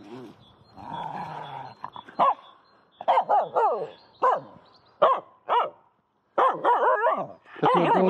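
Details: Female Finnish Spitz at play with a stick inside an empty horse pen, giving repeated bursts of sharp, bending yips and barks in uneven clusters, with a soft grumbling stretch at the start and brief silent gaps.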